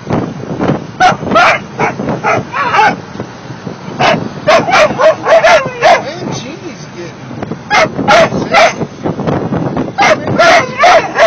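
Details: Sixteen-week-old mastiff puppies singing together: a steady run of high, wavering yips and short whining howls, overlapping and irregular, about two to three per second, with some human voices mixed in.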